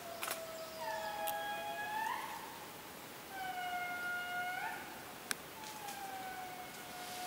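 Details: Indri in Périnet Reserve, Madagascar, giving long, eerie wailing notes that swell and slide upward, with several voices overlapping.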